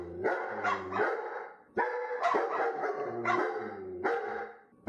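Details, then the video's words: Barking dog producing deep, hoarse, harmonic barks in quick pairs, roughly eight barks with a short pause midway. "perros ladrando"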